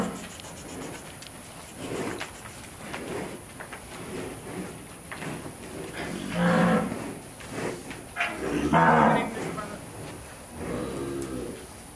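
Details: Ranch herd of gentle Brahman cattle during working and penning; a string of moos of varying loudness, two strong harmonic bellows in the second half, with soft rustling and shuffling between calls.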